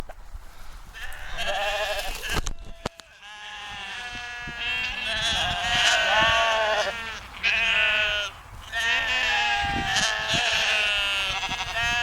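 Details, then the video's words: Sheep on a dike near the Westerschelde in Zeeland, the Netherlands, bleating in long wavering overlapping calls from several animals, with a brief sharp knock early on and steady outdoor background. "sound of sheep"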